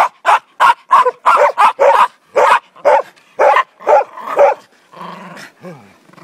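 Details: Zorro, a Border Terrier (Ottercap Miracle Drug), barks in a fast run of about a dozen loud, clipped woofs roughly three per second, ending in a softer whine and falling whimpers.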